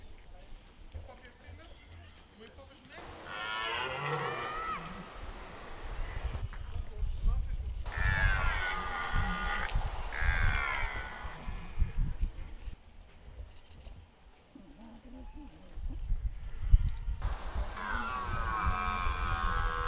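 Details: Rutting red deer at De Hoge Veluwe, Netherlands, where rangers feed the deer apples. Three bouts of hoarse, drawn-out roaring. The bouts rise and fall in pitch and are separated by quieter gaps with low rumbling.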